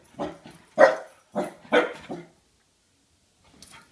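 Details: Pembroke Welsh Corgi indoors with a bowling ball, giving four sharp, loud barks in quick succession over about two seconds, then a pause and a faint voice.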